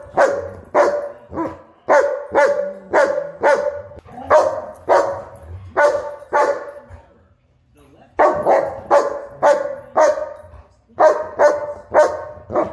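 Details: German Shepherd and Huskies play fighting, giving a rapid run of sharp, loud barks, nearly two per second, in bursts with one brief pause midway, then resuming just as rapidly.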